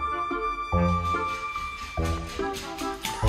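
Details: Instrumental music with flute-like tones and bouncy low notes plays throughout, with no animal voice.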